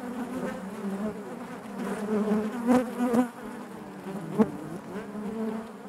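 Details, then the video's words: Honey bees massed in their hive give a thick, low buzzing drone, with brief louder surges as single bees pass close, around three seconds and again near four and a half. "bees therapy hive natural buzzing sound"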